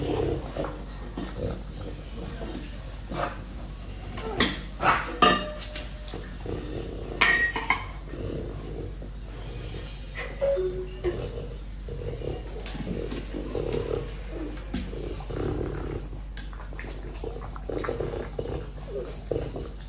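A French Bulldog eats an apple, making loud crisp crunches and moist smacking sounds in irregular bursts. Brief quiet stretches fall between bites, with faint low snuffling and light background noise.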